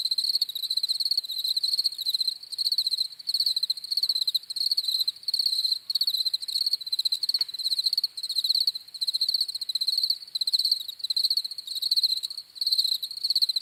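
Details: Crickets chirping steadily, a high pulsed trill repeated in short bursts with brief gaps, several insects overlapping into a continuous shimmering chorus, no other sounds.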